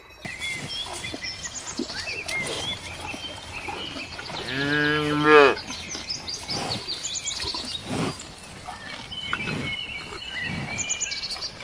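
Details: Cows grazing in a ripe golden rice field in the countryside one afternoon: a single short moo partly buried in steady rustling background noise, with faint bird chirps and other sounds.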